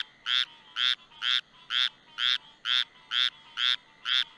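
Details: Squirrel Treefrog calling, a species often near houses and porch lights in summer: a steady run of nine harsh, nasal quacking notes, each short and buzzy, spaced evenly about twice per second.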